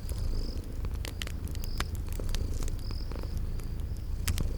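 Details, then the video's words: Sleeping kitties by a crackling fireplace in a spring garden scene purr with a low, even rumble, while loud wood-fire pops punctuate it and brief high chirps drift in and out. "Cute Sleeping Purring Kitties"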